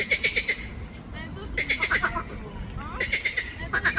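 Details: Green frog (Pelophylax) in the botanical garden in Ljubljana, Slovenia, late May 2024. Loud rattling, pulsed croaks come in short bursts of four or five rapid pulses, about every second or so, over steady low background hum.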